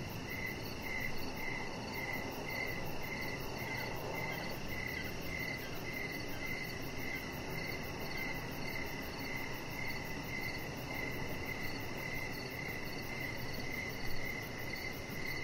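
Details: Outdoor evening cricket chorus by a deck where a chihuahua lies: a steady train of high, crisp chirps, about two per second, with fainter higher pulses and a soft rumbling background.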